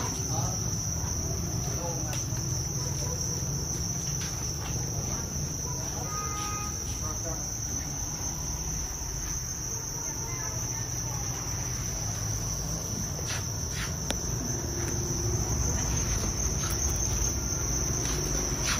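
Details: Farmed Thai crickets (dế mèn Thái) raised for sale at a cricket farm in northern Vietnam give a continuous, high, steady chirring that runs unbroken through the whole stretch, over a low rumble with a few faint clicks.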